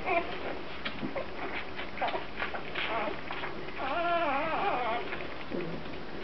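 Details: Several Grand Basset Griffon Vendéen puppies of the Viersenhoeve kennel give short squeaks, then a longer wavering whine midway, indoors with soft background murmur.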